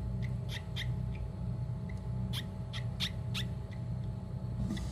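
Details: A male Japanese tree frog in breeding season, clasped by another male, gives a release call ("I'm not female, let go") of short, squeaky chirps at irregular intervals.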